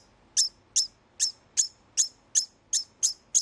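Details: After mating, a pet male degu gives a warning call meant to keep other males away, though none share the home; evenly spaced, high, squeaky chirps about two to three per second.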